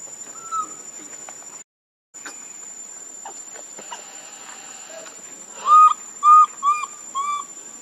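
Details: Baby monkey Lucie crying pitifully for milk, foaming at the mouth. Rough background hiss and faint clicks, then four loud, clear, whistled cries that rise and fall in quick succession near the end.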